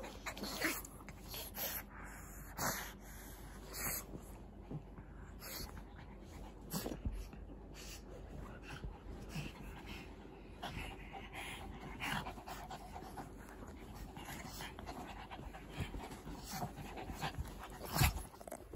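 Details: Shih Tzu or Pug breathing heavily in fast, regular, breathy pants with a slightly wheezy edge, a few louder puffs standing out over a low background hum.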